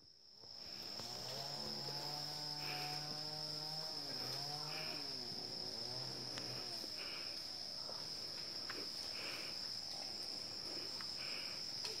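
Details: Wild Asian elephant herd in Chanthaburi Province, Thailand, at 7:18 in the morning on 10 December 2016, giving low, drawn-out harmonic calls that bend in pitch, over a steady high insect buzz.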